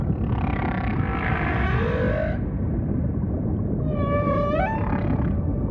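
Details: Humpback whale singing amid ocean ambience: a broad, wavering moan, then a swooping upward-curving whoop rich in overtones, against continuous deep rumbling water noise.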